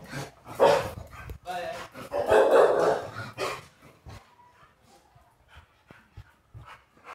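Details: Female Rottweiler puppy 'talking' and arguing because she wants to go outside: loud, drawn-out, voiced grumbling howls and barks in the first three and a half seconds, then softer, scattered short yips and noises.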